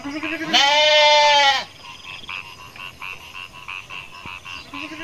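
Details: A young goat on a goat farm in Indonesia gives one loud, wavering bleat, then softer bleats and calls follow.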